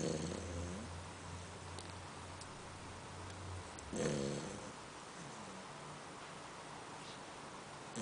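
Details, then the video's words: Female Labrador Retriever asleep and snoring: short rasping breaths at the start and near the middle, with a low continuous drone under the first half and soft faint breathing sounds between. "Labrador Retriever Snoring"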